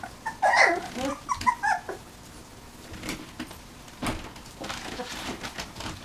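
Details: Whimpering from puppies nineteen days old: a few short, high, squeaky cries in the first two seconds, then only rustling and bumping sounds.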